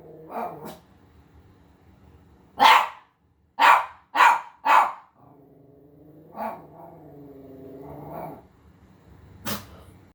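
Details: Havanese dog watching himself on TV: a few soft barks, then four loud rapid barks, followed by a long low rumbling growl lasting several seconds and one final sharp bark.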